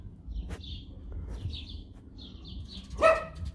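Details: Adopted Siberian Husky with unusual eyes, wary of its new owner, crying: thin, high whines come in short separate bursts, then one sharp, loud yelp near the end, with soft human murmurs in the background.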